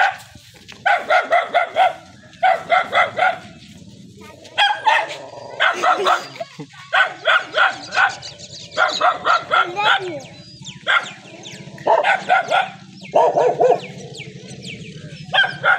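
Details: Dogs at a dog meeting in a Saraiki village: rapid barks in bursts of three to five, repeated steadily for sixteen seconds over a constant low engine-like drone.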